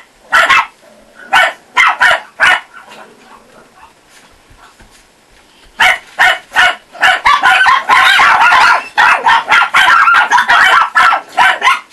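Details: Kennel Chihuahua puppies in Russia, filmed with a child: a few shrill yaps, a quieter gap, then a long excited burst of overlapping high barks and yips to the end.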